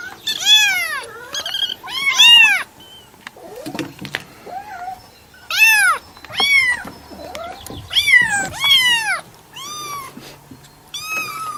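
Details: Cat mewing in loud clusters of two or three arching, harmonic calls, separated by quieter pauses with small chirps and faint rustling in the background.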